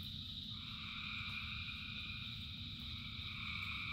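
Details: Thousands of frogs singing in the rain form an unbroken, shimmering wall of trills at several pitches, one band shifting slightly upward early on, with rain hissing and rumbling underneath throughout.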